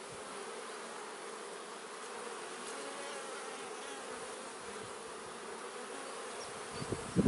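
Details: Honey bees in a man-made hive produce a constant massed buzz, level and dense, ending with a few rustling knocks as the hive is handled.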